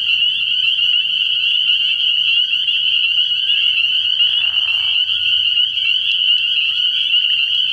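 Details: A night chorus of many spring peepers at a frog pond early in the year, their piercing high peeps merging into one steady ringing tone, broken midway by a brief lower rasping sound, over a soft low hum.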